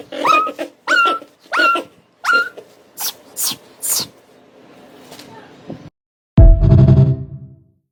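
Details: Mini Bichon dog in a pet playroom makes four short rising whine-yelps, each under half a second and spaced under a second apart, then fainter noisy bursts, silence, and a loud low rumbling thud near the end.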